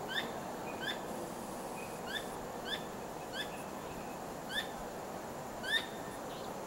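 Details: At night, a squirrel wags its tail constantly and calls in an unusual way. Clipped, bright chirps come irregularly every half to one second, each a quick ringing note, against a constant hissing backdrop.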